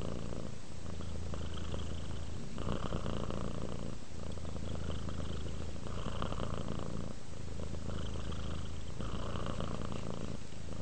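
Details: A relaxed pet cat purrs close by, the deep continuous rumble rising and falling with each breath, cycling roughly every two seconds; no other sounds.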